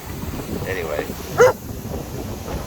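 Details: A White German Shepherd barks at the wind on a windy Sunday of Santa Ana winds in Southern California: a single sharp, loud bark over steady gusts, with a man's voice faintly nearby.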